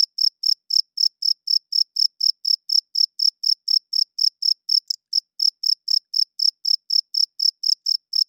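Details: Male cricket chirping loudly at night, a wing-rubbed signal to attract females and establish territory; some thirty sharp, high pulses follow one another at a brisk, regular beat of about four per second over a silent background.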